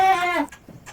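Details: Female goat said to be coming into heat, bleating on a farm: one loud, strained, harmonic-rich bleat lasting under half a second, slightly falling, followed by quiet room noise.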